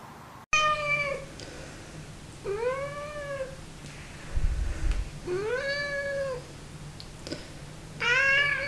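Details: Domestic cat meowing four times indoors, each meow a clear, drawn-out, rising-then-falling tone with a bright harmonic ring, spaced about two seconds apart over a low steady hum.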